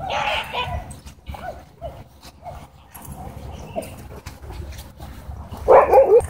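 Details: Miniature Pinscher giving a warning while being harassed by another dog: harsh snarling bursts at the start, scattered quieter yaps and grumbles, then a loud rough snarl near the end, with a person's voice faintly in the background.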